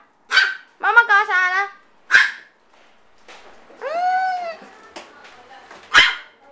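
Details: Tiny AKC micro teacup poodles, a family of pets from Alabama now living in Hong Kong, let out sharp clipped yips alongside a drawn-out whining bark that rises and falls, with quiet gaps between the outbursts.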